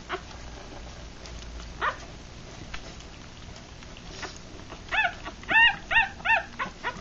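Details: Newborn puppies three days old, a Rat Terrier mother and Chihuahua father's litter of six, feeding with eyes closed; after quiet rustling, a rapid series of five bright squeaky whimpers arrives, each arched and about half a second apart.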